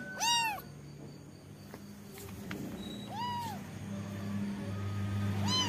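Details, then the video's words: Young kitten giving three separate high meows spaced a couple of seconds apart. The first is loudest and each curves up and down, with faint room noise and a low hum between calls. "Cute kitten with funny voice"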